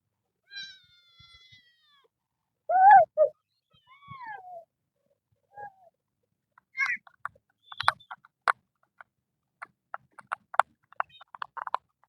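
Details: Kitten of a temple cat group living in nature cries in several wavering meows of varied pitch, some rising then falling, followed by a run of sharp clicking and tapping sounds.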